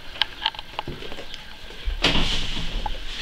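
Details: Indoor knocking, clattering and scraping, with a louder rush of rustling noise in the second half and no animal calls.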